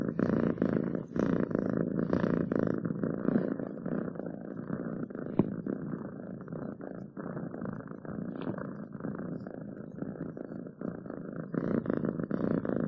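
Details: A pet cat purrs close by in a long, even rumbling drone, rhythmic pulses swelling with each breath, a few faint clicks over the top.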